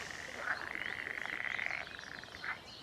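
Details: On a sunny morning at a secret reintroduction pond in Norfolk, UK, a male northern pool frog (Pelophylax lessonae) with a lime-green back stripe gives a rapid, buzzy, pulsed trill. It calls in May–June to attract females for breeding.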